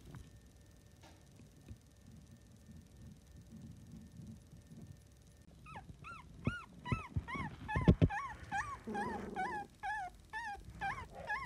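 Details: Newborn miniature dachshund puppies, a litter of seven under 25 days old, squeal in quick high arched squeaks, repeated rapidly through the second half after a quiet start, with soft thumps and rustling.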